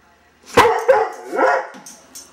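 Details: Doberman Pinscher named Rudy barking on alert after being asked "What's that?", a habit since a few months old; three sharp barks in quick succession, the last longer and lower.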